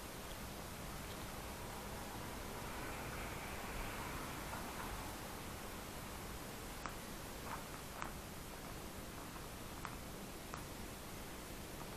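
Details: Steady hiss fills a room, with soft rustling and a few sharp clicks and taps.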